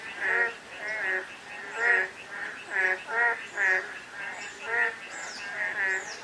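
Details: Frogs calling on a day of light drizzle: overlapping rasping, pulsed croaks in rhythmic bursts roughly every half second, forming a steady chorus with faint chirps above it.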